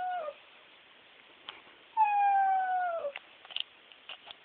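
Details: Pet bulldog crying, either for treats or while watching television; a brief falling whine, a pause, then a long clear drawn-out whine lasting about a second that drops at the end, followed by faint taps.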